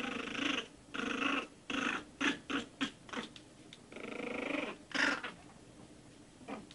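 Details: One-month-old Shih Tzu puppies giving loud, drawn-out whines and squeals in broken bursts, several close together in the first three seconds, then a longer rising cry and a sharp yelp near five seconds.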